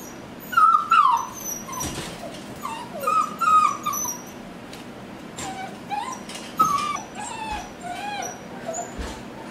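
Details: Mia puppies whining in a litter, thin high whimpers sliding up and down, loud bursts near the start and middle, then softer scattered cries with light rustling between them.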